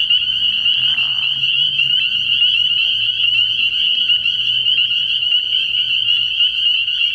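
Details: Many spring peepers call at a frog pond during an early-year night. Piercing peeps pile up into a constant high trill, with a soft low rumble and some brief lower sounds in the background.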